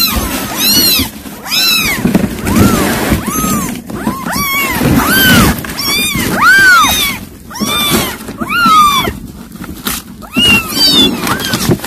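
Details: Mother cat calling to her kittens: a steady stream of high, arching meows, some short and sharp, others drawn out, overlapping in quick succession for nearly twelve seconds over low rustling background.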